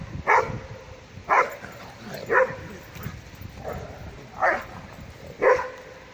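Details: Dogs at a public dog park, an Airedale Terrier holding its own against a Doberman: short, sharp barks repeat roughly once a second, six in a row, over a low murmur of background noise.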